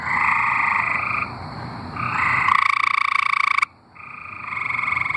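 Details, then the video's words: Singing tree frogs in Arkansas give rapid buzzing trills, one loud harsh trill dominating the middle before a short silence and the chorus resuming. "Singing tree frogs"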